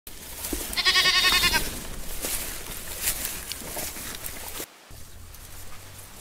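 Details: Goats grazing on grass: a loud, wavering, buzzy bleat lasting about a second early on. Scattered clicks and rustles from feeding run underneath, with a low steady hum.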